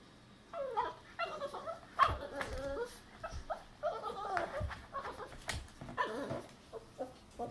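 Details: A Boston Terrier puppy whines and grumbles in frustration at not fitting under a futon, with wavering, rising and falling nasal cries.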